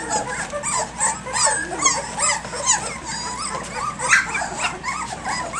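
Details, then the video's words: A crowd of three-week-old puppies at play around dawn produce wavering, whistly whimpers and short yips, several voices overlapping in a steady mid-pitched chatter with small bends up and down. "Egypt's ACTIVE Puppies 3 weeks 3 days"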